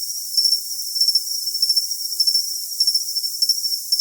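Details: Cricket sounding for tinnitus masking: crisp, high double and triple chirps spaced about every half second, set over a continuous shrill tone and nothing deeper.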